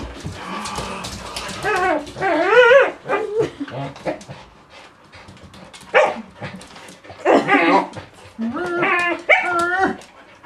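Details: Border Collie giving high whining yelps that waver up and down in pitch, in two main bursts early and late, with short sharp yips and barks between them over a quiet background.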